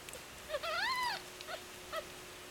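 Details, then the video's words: Kittens, six of them, fighting over their mother's nipples while feeding; a clear harmonic rising-then-falling cry about half a second long, followed by two short softer squeaks, in a quiet room with a faint steady hum. "Mozes kittens fighting over nipple"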